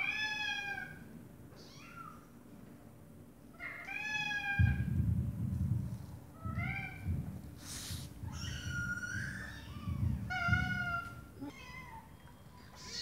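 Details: A mother cat talks to her meowing baby kittens, high thin bent notes repeating back and forth in quick bursts over a low rumble.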